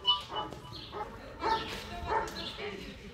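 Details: Section C of an IGP-1 qualification at the 2022 Russian Championship: the German Shepherd Bandit vom Haus Kogor barks in short, forceful bursts, about five in three seconds, mixed with faint human voices and a high beep.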